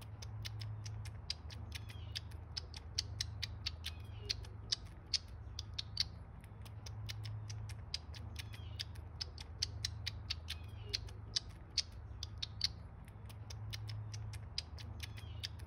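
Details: A baby squirrel sucking from a bottle makes rapid wet clicks with faint high squeaks over a low hum.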